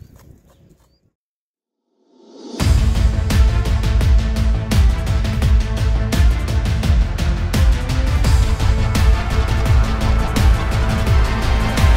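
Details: Two seconds of near silence give way to loud, driving music with a steady beat, and no animal calls are heard.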